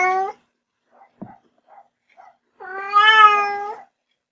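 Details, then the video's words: A kitten gives a short meow, then soft clicks and small noises, followed by one long, loud, wavering meow. "小貓咪叫聲 喵喵喵"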